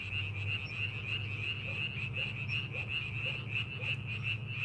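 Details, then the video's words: Frog chorus from rice paddies prepared for farming, steady rapid croaking with a shrill upper tone, some lower separate clucks underneath, and a prominent low rumble in the background. "농사준비하는 논에서 개구리 울음소리"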